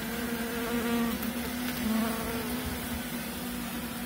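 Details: Western honey bees (Apis mellifera) left in a nucleus box after their frames were moved give a steady, low, droning buzz as many wingbeats blend into one hum.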